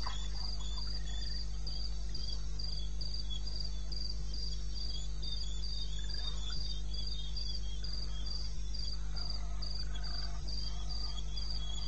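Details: Cricket calling from the wilderness of eastern Botswana at 02:30 AM on 21 May 2016: even, pulsed high chirps repeated about four times a second, steady and unbroken, above a constant low droning hum.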